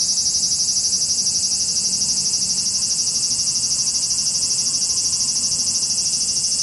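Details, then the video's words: Swarm of cicadas in Japan producing a shrill, unbroken metallic buzz, high-pitched and evenly throbbing, holding the same intensity from start to finish. "cicada sound Japan,cicada buzzing sound,cicada noise,cicada swarm,cicada scream"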